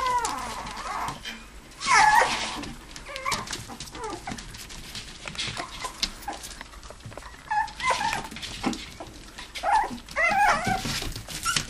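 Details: Indoor living room play area where toy poodles and Pomapoos romp; short yips and thin whining cries come in bursts, the loudest around the second second, over a steady background of scuffles and knocks.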